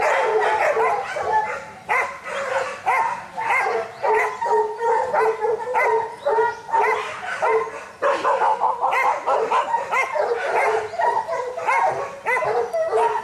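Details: Pack of hunting dogs, including young Kishu, barking during Japanese boar-hunting training in November 2010: frantic, overlapping high yelps and sharp barks pour out continuously for over thirteen seconds.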